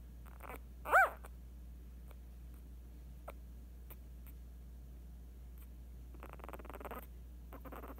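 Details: Eight-day-old female Scottish Terrier puppy lets out one brief arched squeal near the start, followed by soft clicks, shuffling and rustling over a constant low hum.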